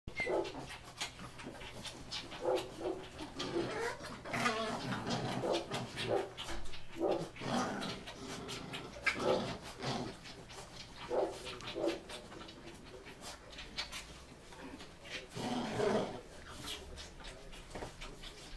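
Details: Ten-week-old Bull Terrier puppies give short whines and yelps, with scattered yips through the clip.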